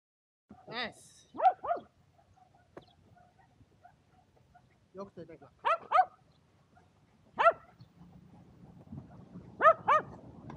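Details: Two Shetland Sheepdogs barking while playing frisbee on a sunny day, 23 February 2022: sharp, high, harmonic barks, mostly in quick pairs, come in bursts a few seconds apart, with quiet human talk between them.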